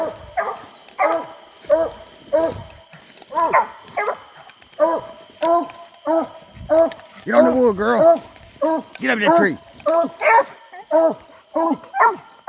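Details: English coonhounds out coon hunting on a hot summer night, giving loud, hoarse chop barks about every half second, sometimes overlapping into a ragged chorus, with a faint steady high hum behind.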